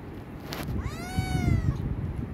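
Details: Himalayan cat named Pinki, a pet asking for food: one drawn-out harmonic meow lasting about a second, rising then gently falling, after a brief knock, over a low steady rumbling background.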